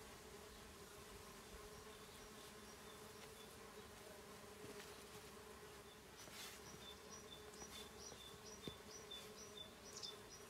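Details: On 17 March 2019, a bumblebee hums with a low, even, slightly rough steady drone, with soft high bird chirps in the background near the end.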